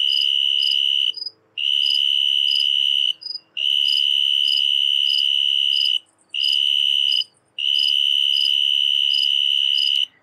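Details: A snowy tree cricket outside a house window in Macomb County, Michigan, gives a pure, high, steady trill in long bursts broken by brief pauses.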